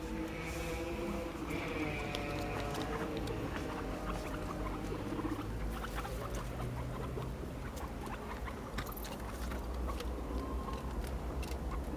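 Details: Guinea pigs, five together, running after each other in a playful chase; faint stacked squeaky tones early on, then a dense patter of small clicks and footsteps, with low background hum.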